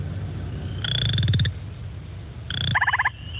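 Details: Western chorus frog, a species found around Guelph, giving two short rising trills of quick clicking pulses, each under a second long, over a low background rumble.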